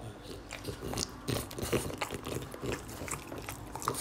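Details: French Bulldog named Oleg eating string beans indoors: a rapid, irregular run of crunchy bites and wet chomping clicks, each sharp snap followed by softer smacking, with faint low snuffling underneath in a small room.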